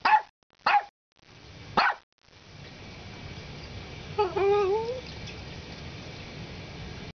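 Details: Three clipped barks from a Morkie, then a pause and a brief wavering, whistly whine that dips and rises, heard over a constant low hum.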